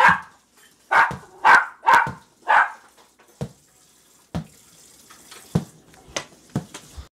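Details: Jack Russell Terrier puppies going wild over a ball: five quick, bright yips spaced about half a second apart, then quieter scattered thumps and scuffles from playing pups.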